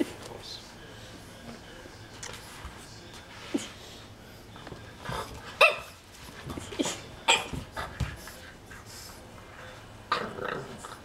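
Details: Romeo, a male French Bulldog puppy afraid of his uncle's magazine, barks more than usual in uneven bursts of short, high-pitched yaps and brief whimpers, reacting fearfully, with quiet human voices and laughter behind.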